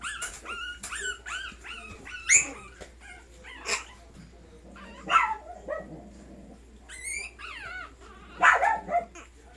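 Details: Dog indoors giving high, wavering whines and yips mixed with sharp, short bark bursts, loudest near 2.3, 3.8, 5.2 and 8.5 seconds, over a low steady hum.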